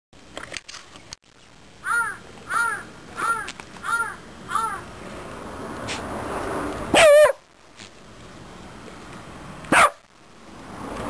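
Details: A Shiba Inu at home barks at a chafer beetle without daring to approach it, giving five short, arched yips about two-thirds of a second apart, then two louder, harsher bursts, over a low hum; crows and a lesser cuckoo call distantly.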